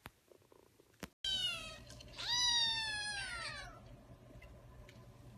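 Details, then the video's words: Kitten meowing: after a click and brief pause, a loud high meow, then a longer one that starts low, rises and slowly falls over about two seconds, over a steady low hum. "Cute Kittens Meowing"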